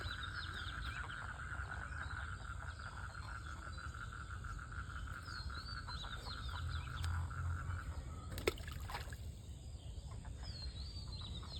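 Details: Frogs in a village pond give a steady, pulsing mating trill over a low background rumble.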